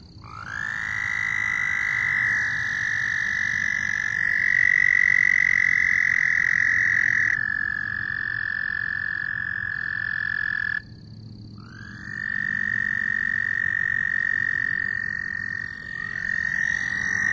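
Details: Loud frogs trilling in long unbroken buzzes of about seven to ten seconds each. One trill ends, a short quiet pause follows, then another trill swells back in at the same high pitch.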